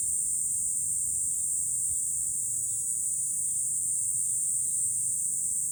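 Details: Cicadas singing in July on a hilltop overlooking Fukuoka city, Japan: a dense, unbroken high-pitched drone that holds steady throughout, with faint, brief chirps beneath it.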